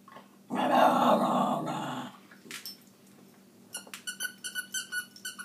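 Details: A scruffy Cairn Terrier named Maggie gives one loud, rough, sustained growl of about a second and a half while arguing over her toys, followed by a run of high, regular squeaks, indoors.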